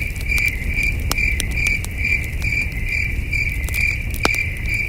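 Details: Crickets at night near a glowing campfire, their shrill, regular chirps repeating in quick succession while wood crackles and snaps loudly over a low background rumble.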